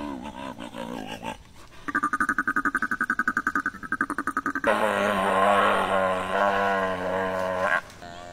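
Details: California sea lion. A California sea lion barks in a fast, steady run of hoarse, pulsing notes, then holds a long, rough, honking bellow. Each sea lion has its own distinct voice.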